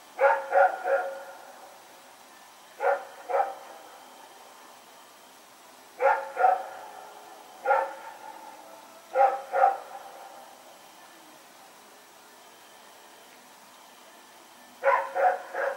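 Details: Rex, a dog, barking as it runs around in the night, September 21, 2018: loud doubled barks, sometimes three in a row, repeated every few seconds with quiet gaps between bursts.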